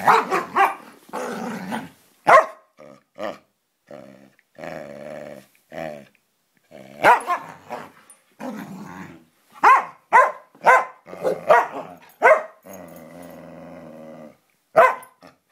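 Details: Samoyed and Siberian Husky in a friendly play fight: bursts of short barks alternate with sustained harmonic growls, some bark clusters coming in quick runs, with brief silent gaps between exchanges.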